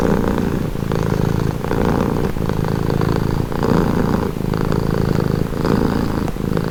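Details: Close, continuous purring of a domestic cat, deep and buzzy, pulsing in breath cycles of about one second, each inhale and exhale marked by a slight shift in tone; nothing else audible.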